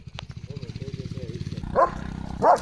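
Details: German Shepherd on an evening walk at a farm around sunset gives two loud, deep, forceful barks at another dog he has spotted, after a stretch of soft rhythmic panting.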